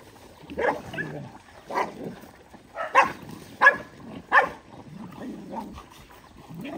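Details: Several dogs at a shared meal of rice; a series of short, sharp barks, five louder ones clustered in the middle and softer yelps toward the end, over low background chatter.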